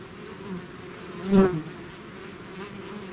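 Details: Bees swarming out of their hive, a soft background hum broken by one bee flying close by, its buzz rising loud for about half a second then receding.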